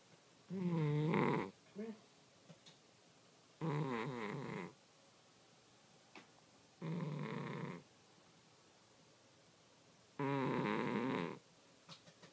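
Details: A sleeping cat snoring indoors: rough, throaty bursts about a second long with a low buzzing tone, returning roughly every three seconds with quiet pauses between breaths and faint small clicks.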